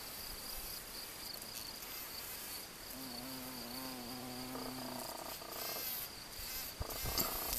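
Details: A honey bee, an albino one seen on 7 June 2022, passes with a low, steady wing buzz for about two seconds over a constant high hiss.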